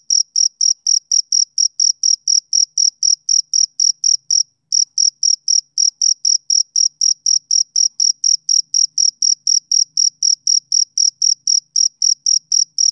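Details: Rhythmic chirping of a male cricket on a summer evening, high, piercing pulses roughly four per second, broken once by a brief gap about a third of the way through, then continuing steadily.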